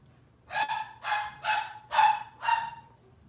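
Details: Robin's litter of Cavalier King Charles Spaniel puppies, indoors on a kitchen-cam livestream. Five quick, yappy puppy barks come at about two per second, each bright and slightly tonal, above a steady low electrical hum.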